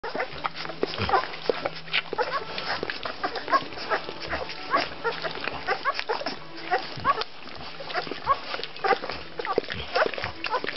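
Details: Litter of Rhodesian Ridgeback puppies in their second week, a dense chorus of overlapping squeaks, squeals and grunts from several pups, with a steady low hum underneath.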